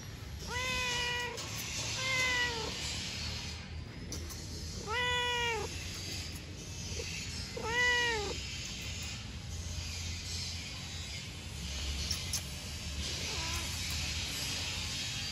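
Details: A pet cat meowing loudly in the morning: four clear, drawn-out, rising-then-falling meows at a few seconds' spacing, then a fainter one, over a steady high electrical whine and low room rumble.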